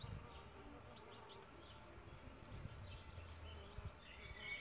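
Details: Solitary bees nesting in a bug hotel give a low, steady droning hum with faint overtones, while soft distant bird chirps flicker in the background.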